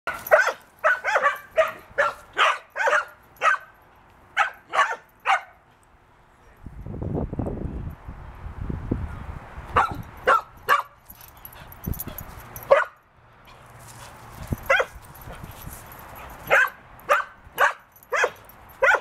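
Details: A 6-month-old tri-color female Border Collie mix, a high-energy rescue pup from Wisconsin, barks while playing. Sharp barks come in quick runs, broken by a stretch of low rumbling handling noise in the middle before the barking resumes.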